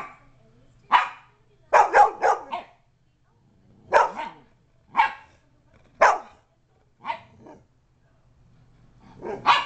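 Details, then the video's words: Poodle confronting two pit bulls, giving sharp, harsh barks, some in quick doubles and triples, roughly one burst per second, with a faint low hum underneath. "Vicious poodle attacks 2 pit bulls"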